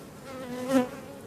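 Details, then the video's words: Honey bees of a drone-laying hive, shaken from their frames away from the apiary. A droning hum that swells briefly louder in the middle, then settles back to an even buzz. "Ruche bourdonneuse"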